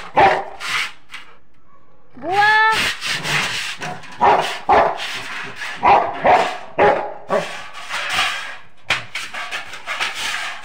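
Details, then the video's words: Rottweiler in Haryana, India, barking at night and not stopping: a rising, tonal yelp, then a string of harsh, irregular barks in quick bursts across the clip, with short pauses between. "raat ko bhi nahin rukta Rottweiler"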